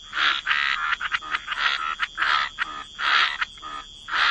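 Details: Waterside frogs croaking: loud, grating croaks in bursts about half a second long, separated by short stuttering calls, over a faint steady high tone.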